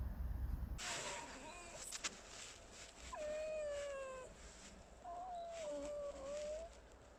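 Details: Alice, a red fox kept as a pet, makes drawn-out, thin whining tones that slide slowly downward, with two long calls separated by a pause and some brief scuffling noise before.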